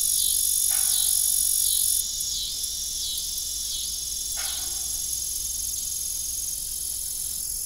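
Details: Crickets at dusk on an old family farm with a disused windmill: a high, rhythmic pulsing chorus repeating about every second, with two brief hollow knocks and a faint hiss that stops partway.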